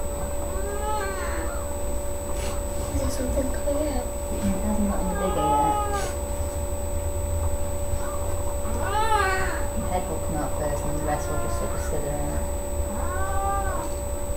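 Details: Queen cat Sasha delivering kittens, three born on 14 May 2011: repeated strained meows come every few seconds, each an arched wail, between quiet human talk near the cat and a low steady hum.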